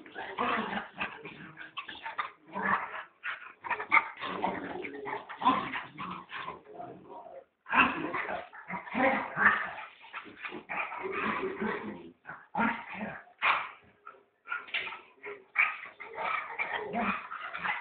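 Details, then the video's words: A young puppy keeps up a long run of sharp yelps and whiny cries, closely packed for about seven seconds, then a short pause before the bursts start again and carry on steadily. "babi dog"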